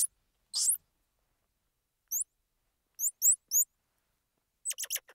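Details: Piercing squeaky peeps from a squirrel monkey: a breathy chirp, then one hooked whistle-like note, a quick cluster of three rising peeps, and a final rapid stuttering burst of short squeaks.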